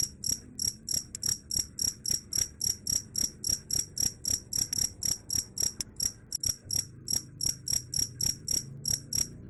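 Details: Cricket chirping steadily, a sound said to drive away rats; bright, high, ringing pulses repeated about four times per second in an even rhythm over a low background rumble.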